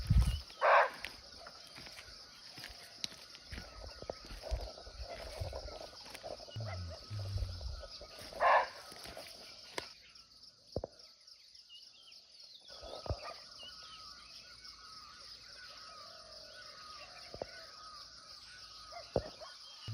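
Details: A barking deer (Muntiacus muntjak), unseen but calling from nearby in a natural forest in Nepal, gives short, sharp, dog-like barks spaced several seconds apart over a steady insect hum.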